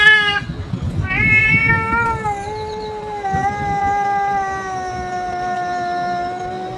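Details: Stray cat crying out after a surprise attack by a boss cat, filmed on an EOS R5 camera: a loud, long, wavering yowl held for several seconds, rich in overtones, after a brief first cry, over low background rumble.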